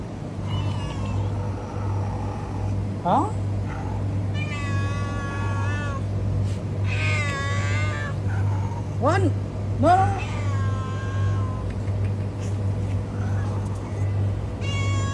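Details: Homeless cat on a road meowing repeatedly, several long wavering harmonic meows and sharp rising yelps spaced a second or two apart, over a constant low engine-like drone, with a man speaking briefly.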